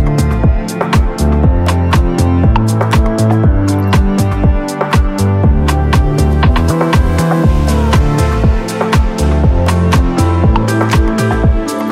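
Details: Rhythmic electronic music with steady percussive beats and layered instruments plays throughout, with no animal sounds.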